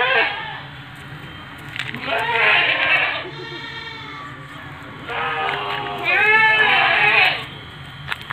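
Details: Young female Etawa goat, seven months old and 70 cm tall, bleating twice about four seconds apart, each call a wavering, quavering bleat lasting about a second; a man's Indonesian speech fills the gaps.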